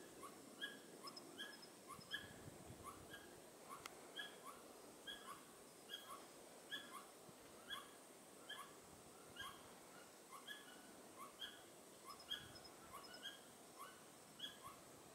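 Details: Pallas's squirrel calling with raised tail along the Tiaoshui Historic Trail on 15 April 2018. Soft, clipped, ringing notes repeat steadily about every half second to one second throughout, set against constant faint background noise.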